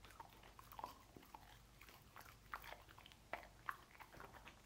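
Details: Sausage-eating dog Lucy indoors, irregular sharp bites and moist chewing clicks spaced about half a second apart, quiet room tone between them.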